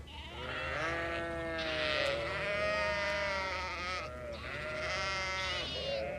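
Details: Goats and their kids in a herd with a herder, overlapping drawn-out tremulous bleats rising and falling, two louder bursts of calling in succession against a low background drone.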